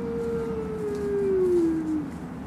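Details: A wolf at Como Park Zoo in Saint Paul, Minnesota gives a long, steady howl that slowly slides downward in pitch, as wolves howl in the afternoon.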